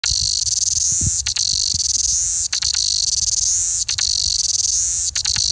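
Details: In February, a New Zealand chorus cicada (Amphipsalta zelandica) on a tree in Abel Tasman National Park forest sings a loud, continuous high-pitched buzz with brief breaks every second or so.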